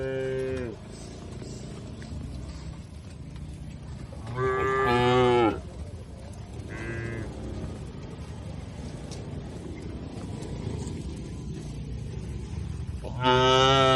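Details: While tame cattle are herded to a broad field, several moos come through: one ending as the recording opens, a strong one near the middle, a short one after it, and another loud one at the close, over constant low background noise.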